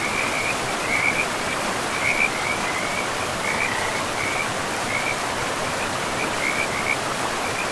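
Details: Frogs calling by a river deep in a pristine forest with moss-covered land; short rattling croaks repeat about once a second throughout, riding over a steady, loud rush of flowing water.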